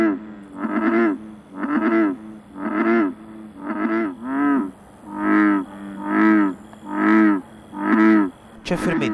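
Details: American bullfrog in a swamp near Rome, Italy, where it is an invasive alien species: a male gives its characteristic deep, droning song during the mating season to attract a female, each call about a second long and repeated steadily.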